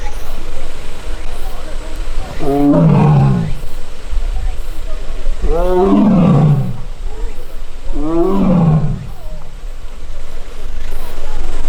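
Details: Annoyed young Korean tiger, filmed August 1 in an arboretum tiger forest, crying after missing its sibling; three loud falling moan-roars roughly every three seconds over a steady low rumble.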